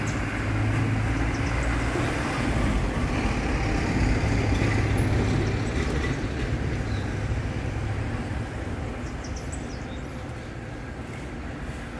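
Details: Steady low rumble of passing vehicle or train traffic, with no animal calls heard.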